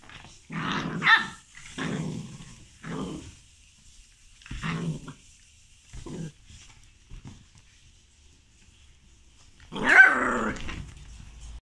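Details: Whippet puppy in a play fight, giving a series of short, rough growls roughly once a second, separated by quiet pauses, then a louder, higher snarling bark near the end.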